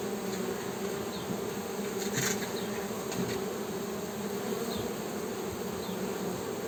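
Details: Humming of Western honey bees, a low continuous buzz sitting under a hissy, noisy background, with a short rattling clatter midway.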